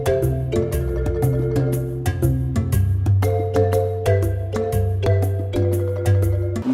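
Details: Bright mallet-percussion music like a marimba or xylophone, with steady plucked notes and a deep bass line repeating about every two seconds; no animal voices are heard.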